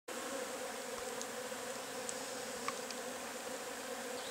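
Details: Agelaia multipicta wasps, known locally as marimbondo carniceiro, cassununga or curumim, at their nest; a steady, dense droning buzz holds evenly throughout, with a low hum and a few faint high ticks above.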